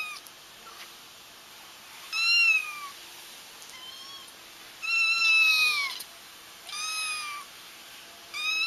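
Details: Kittens crying to help trap their feral mother: a run of five thin, high meows, each sliding down in pitch, spaced two to three seconds apart over a steady hiss and a faint high whine.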